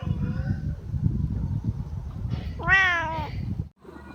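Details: Low rumbling background noise gives way to one loud, clear meow, slightly falling at its end, from a Siamese cat newly woken from sleep.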